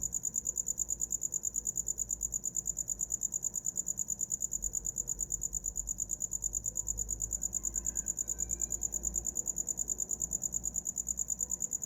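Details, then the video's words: Cricket trilling in a rapid, steady series of high-pitched pulses, joined midway by a brief faint higher chirp, with low rumbling background noise. "Som de grilo para dormir"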